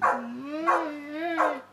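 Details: A dog vocalizing in a long talking session with a person, giving three drawn-out, wavering howl-like notes that rise and fall, each starting with a louder, brighter onset.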